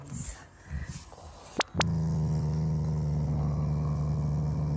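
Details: Growling Shiba Inu, a family pet, showing affection toward its owners rather than anger: after two sharp clicks, one steady low rumbling growl held for about three seconds indoors.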